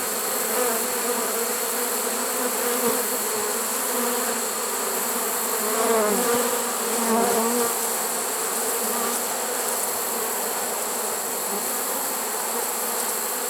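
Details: Honey bee swarm in a trap on September 1, 2019, a steady buzzing mass with wavering, rising and falling wing tones around the middle, over a constant background hum.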